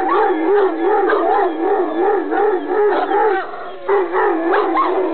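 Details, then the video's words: Irish Wolfhound howling in greeting: a continuous, wavering, warbling howl that rises and falls in quick undulations for about five seconds, dipping briefly near the end before resuming. "Irish Wolfhound Greeting"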